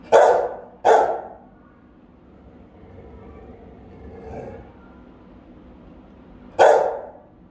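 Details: Guard-duty Rottweiler barking at home, one of three dogs watched by a hidden camera: two booming barks in quick succession, a few seconds of near silence with a soft distant murmur, then a third strong bark.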